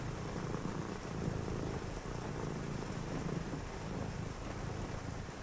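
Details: Domestic cat on a rainy night giving a low, even purr with regular in-and-out pulses, accompanied by a continuous hiss of rain in the background.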